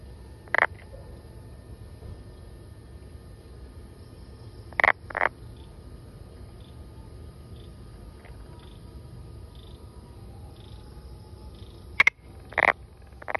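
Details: Brown frog calling with short, widely spaced croaks: single and paired broadband bursts separated by several seconds of quiet, over a steady low background hum.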